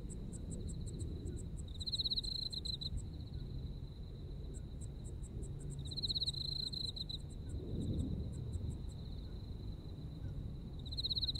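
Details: Autumn insects in Japan: a constant high trill broken by three short louder pulsed bursts, with fast ticking notes from another insect in between, and a low background rumble with a brief swell.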